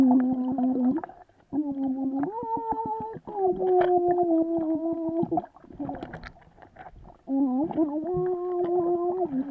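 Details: A swimming Vizsla gives long, tonal whines that hold steady and then step up or down in pitch.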